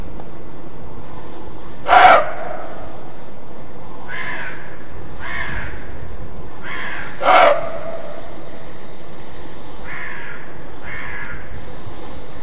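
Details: A roe deer barks in alarm: a series of coarse, abrupt barks at uneven intervals, two of them loud and the rest fainter, against constant low background noise.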